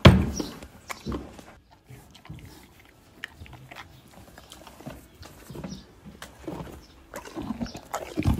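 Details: Several horses eating apple-flavoured, low-sugar treats: irregular crunchy bites and wet chewing in bursts with quiet gaps, and a louder crunch near the end.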